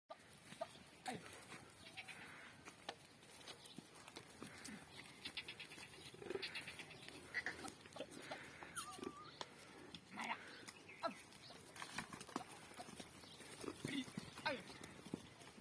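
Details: Goats on a goat farm in India give short, wavering bleats scattered through the recording, some high and thin and some lower. A steady clatter of farmyard noise continues in the background.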